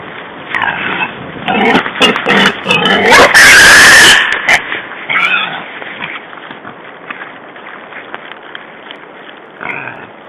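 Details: A wild boar (Sus scrofa) being chased, on 14 February 2012, gives harsh grunts and a loud, strained squeal amid rustling movement.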